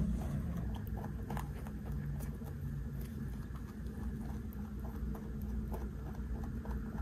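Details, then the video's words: Large 3.2 kg rabbit taking and eating snacks in an ASMR recording: continuous quick crunching and nibbling clicks, occasionally louder, against a low constant hum. "까까 받아먹는 3.2kg 왕토끼 ASMR"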